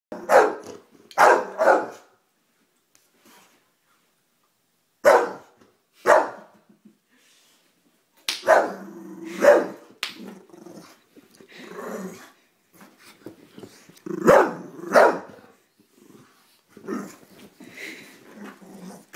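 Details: Harley, a pet Bulldog, barks and growls at someone chewing gum, from a safe distance; sharp barks come in pairs and short bursts, separated by pauses, with lower rumbling growls between them.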